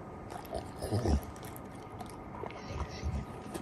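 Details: A male Golden Retriever gives short, low, breathy snorts while eating, mixed with soft chewing noises.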